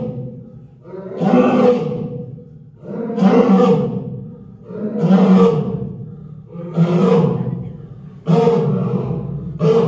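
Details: Lions Sana and Tom at Hamamatsu Zoo, Japan, on 18 February 2023, Sana conversing with Tom: five deep, grunting roars, each about a second long, repeated roughly every 1.7 seconds and building steadily, with no other sounds.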